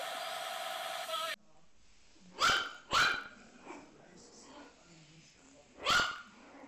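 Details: Puppy barking after a brief burst of loud noise: two close barks, a soft yap, then one more bark a few seconds later, in an otherwise quiet setting.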